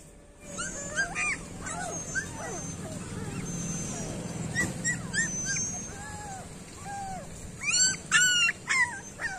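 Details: Street dog puppies whimpering and yipping, several thin high arching cries overlapping at irregular intervals, with a burst of sharp squeals near the end over a low background hum.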